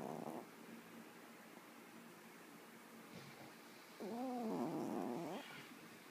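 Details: Yorkshire Terrier snoring loudly in deep sleep: a short rasp, then a longer snore with a wavering, whistly buzz after a quiet pause.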